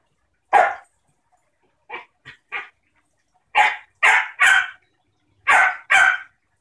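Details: Rough play between a new female German shepherd puppy and a 6-year-old basenji pit bull mix sister. About ten sharp barks come in irregular bursts, some single and some in quick pairs or triples, with clean silence between them.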